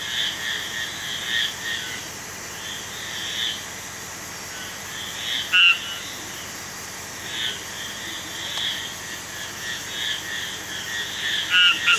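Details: Marbled tree frog calling in a dense chorus: a few loud, short, tonal notes with two high bands, one near the middle and two close together at the end, rise above a continuous hum of similar, fainter calls.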